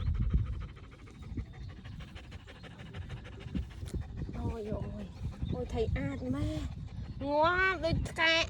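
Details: Happy dog playing in a sunny countryside field, tongue out and tail wagging; steady fast panting, nearly four breaths a second, then a human voice with rising, bending tones takes over.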